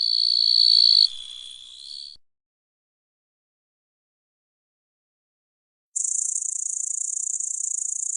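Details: Small grasshoppers buzzing. A high, hissing drone that shifts slightly lower in pitch before fading at about two seconds. Silence follows for nearly four seconds, then a sharper, even higher buzz starts suddenly and continues to the end.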